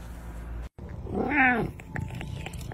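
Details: Pet cat named Butters meowing while wanting to follow someone and eat, indoors; a single drawn-out meow rising then falling, about one second long, with a soft click and faint room noise around it.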